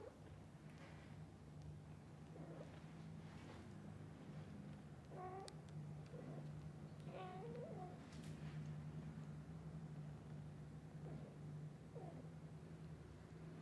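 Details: Kittens calling to their mother cat soon after waking, asking her to play outside; a few short high mewing calls scattered through the clip, some with faint harmonics, over a steady low hum and background noise.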